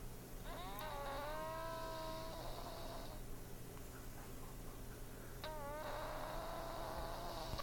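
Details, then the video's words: Sleeping cat named Butter gives two long whistled snores, each a wavering harmonic tone of about two seconds that starts with a breathy rush. A quiet pause separates them, and a constant low hum runs throughout. "Butter the Snoring Snorlax Kitty."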